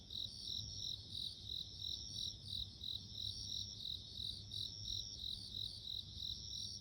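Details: Bell crickets sing in a dense high-pitched chorus, short bell-like pulses repeating quickly and evenly, accompanied by a sustained thin whine and faint low background noise.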